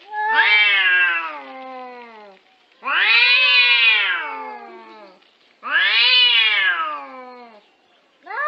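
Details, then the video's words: House cat in a funny cat clip collection giving a series of loud, whiny meows roughly every three seconds, each rising quickly then drawing out and falling, with a fourth just starting at the end. "Funny and Cute Cat videos"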